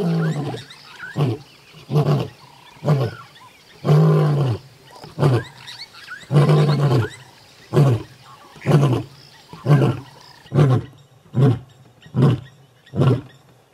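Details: Male lion of the Northern Avoca coalition at MalaMala Game Reserve, South Africa, roaring as a challenge to the Gowrie males: a loud series of deep, short grunting pulses, about a dozen, repeated roughly every second and slightly irregular.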